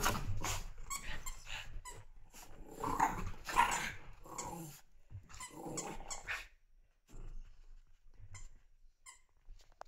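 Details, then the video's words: Playing puppies indoors trade rough growls, short barks and squeaky yelps in busy overlapping bursts that thin out to a few isolated high squeaks toward the end, with scuffling in between. "puppies sind verrückt nach spielen"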